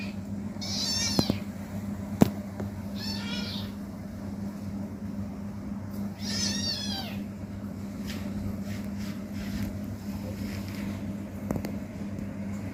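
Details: Playful kitten indoors giving three short high-pitched squeaky meows in the first seven seconds, followed by clicks and rustling from play over a steady low household hum.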